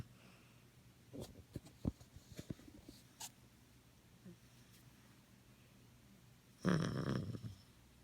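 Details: Luigi, a male Maltese dog, asleep indoors after his bath and snoring loudly: a run of short, low snorts with a few sharper clicks, then a longer, louder rasping breath near the end.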